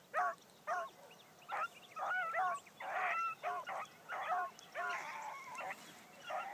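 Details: First morning run for Bee, a new Blackcreek female hound, her barks coming quick and honking, roughly two per second, some stretched into short bawls, with faint rustling behind.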